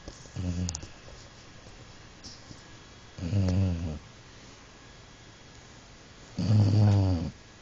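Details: Jack the dog, known as Mr. Snores-a-lot, snores while asleep indoors: three low, harmonic rasping snores spaced about three seconds apart, each lasting under a second, over quiet room hiss.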